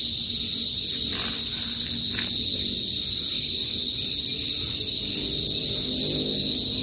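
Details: Shrill, constant buzzing of Philippine cicadas (kuliglig) in the countryside of the northern Philippines before sunset: a dense, unwavering high drone with a fainter, higher ringing layer, with a faint low murmur underneath.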